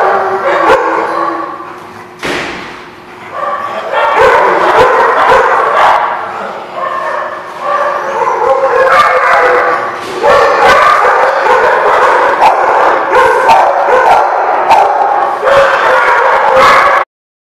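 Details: Several dogs bark and yip at once in a busy lot, a rough overlapping chorus of sharp barks with a brief whimper, pausing near the start then building into steady noisy barking until it stops abruptly.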